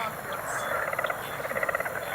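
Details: Frogs in the Everglades, Mahogany Hammock area, in a field recording: rapid pulsed trills, several callers overlapping, rising and falling in bursts above a steady broadband hiss.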